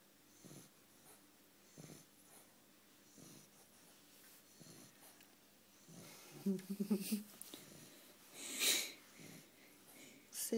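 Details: Sleeping bulldog giving wheezy, snorting snores spaced a couple of seconds apart, a louder burst of breathy snorts near the end, with quiet human speech nearby.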